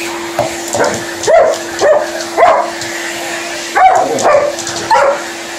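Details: An Alaskan Malamute reacting vocally to a running hoover indoors: a string of short, wavering, talkative yips and moans, rising then falling in pitch, about five bursts over steady vacuum cleaner hum.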